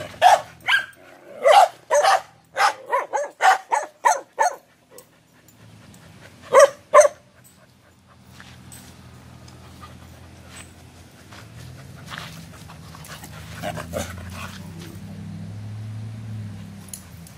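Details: Gwen, a gentle, playful female Whippet mix put up for adoption, barks in a rapid run of about a dozen sharp barks. After a pause come two more barks, then a steady low rumbling background noise.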